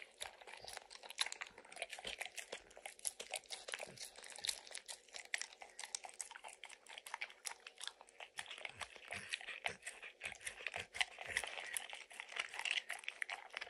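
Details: Max, a dog with a strong licking habit, licks peanut butter and crunches kibble stuck in an orange mat; dense wet clicks and crisp crunches repeat rapidly without pause, with no talking.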